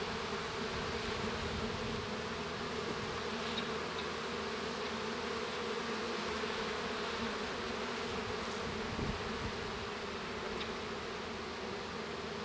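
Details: Honey bee hive interior at the moment a young bee emerges; thick, constant buzzing drone with slight flutter in the low tones and occasional soft taps.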